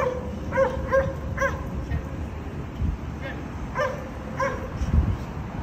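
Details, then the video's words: Condo dogs whose daily barking, three times a day, disturbs neighbours: a quick run of three barks, a pause, then two more spaced barks, with low rumbling background noise throughout. "Disturbing noise by Dogs barking"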